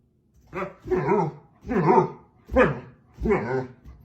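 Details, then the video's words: Husky dogs waking someone up: five rough, wavering woo-woo vocal bursts about half a second apart, low and harmonic, talkative rather than sharp barks, indoors. "Husky Dogs wake you up #2 😮 Woof woof"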